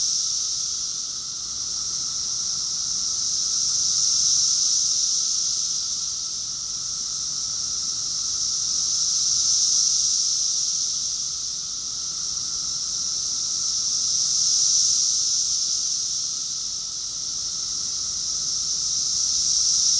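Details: Massed cicadas singing in summer at Rockville, Maryland, USA, June 2021; the shrill buzzing chorus rises and falls in slow waves, cresting roughly every five seconds over a constant high drone.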